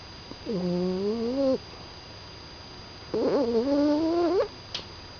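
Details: Sleeping Staffordshire Bull Terrier puppy named Poppy snores with two tonal, whining breaths about a second long, the second rougher and longer, spaced a couple of seconds apart, then a faint click in a quiet room.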